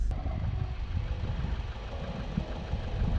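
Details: A vehicle engine idles with a steady low rumble throughout, and no animal voice stands out.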